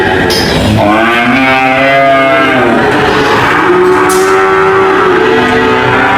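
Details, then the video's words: Cow giving a long wavering moo followed by a second, steadier and higher moo, over a busy background of other lowing and faint clatter. "cow mooing sound"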